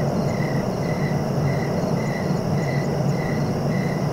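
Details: Cricket chirping in a sleep-relaxation recording: short even pulses repeat roughly twice a second over a steady high ringing tone, with a constant low rumbling background throughout.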